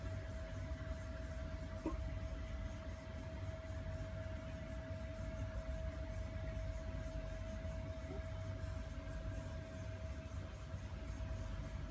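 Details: Low engine-like hum with a steady high electrical tone and faint broadband hiss, no animal voices heard.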